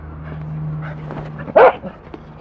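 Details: Goro, a Welsh Corgi, lets out a single short, loud bark about one and a half seconds in, set against a steady low electrical hum and quiet room noise.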